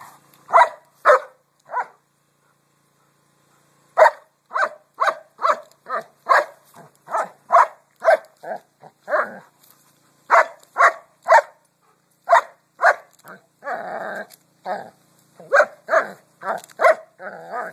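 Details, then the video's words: A dog barks at rocks in repeated short bursts, clusters of sharp mid-pitched barks separated by a two-second pause near the start, with one longer rough growly bark partway through. "barks at rocks"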